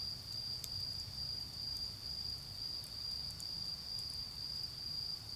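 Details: Steady, piercing trill of autumn insects in a garden during a bonfire, swelling and fading slightly in volume, with scattered fire crackles and a soft low rumble of distant traffic.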